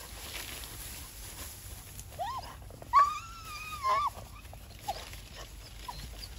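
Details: Labrador Retriever that loves persimmons, out on a group walk, straining toward fruit left only high on the tree. Two high, drawn-out whines arch and hold steady, the second lasting about a second, over a quiet outdoor background.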